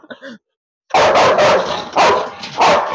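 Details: A kennelled Rottweiler known for biting barks hard and deep three times in quick succession while a person tries to let it out, after a short faint sound at the start.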